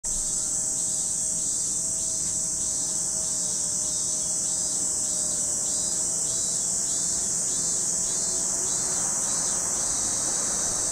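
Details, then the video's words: Cicadas calling at Lake Kamo in Sado City, Niigata Prefecture, Japan: a dense, unbroken high-pitched shrill hiss, with a softer pulsing buzz beneath it throbbing about three times a second, and faint thin tones lower down. "Lake Kamo in Sado City, Niigata Prefecture, Japan, where you can hear the voice of cicadas."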